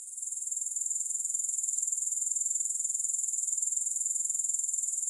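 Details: Soothing grasshopper sound with no music: a piercing high trill of fast, regular pulses, fading in over the first second and then holding steady and continuous.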